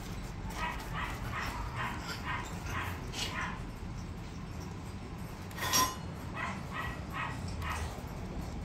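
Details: Small Miniature Pinscher puppies give short, high yips scattered through the clip, faint and irregular, over a steady low background hum.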